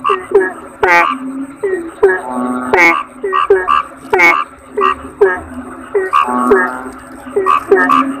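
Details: Toad (kodok bangkong) chorus: many short, nasal, harmonic croaks overlap in quick succession, some with rising and falling twangs and a few longer drawn-out notes, over a faint steady high-pitched whine.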